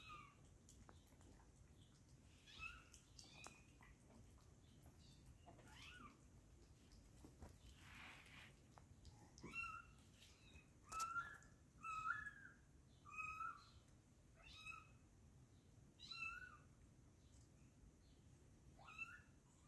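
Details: Very young kittens, newly arrived at a home, giving a run of short, high, thin mews, each a quick rising-falling squeak, repeated roughly once a second from about ten seconds on, over a quiet indoor background.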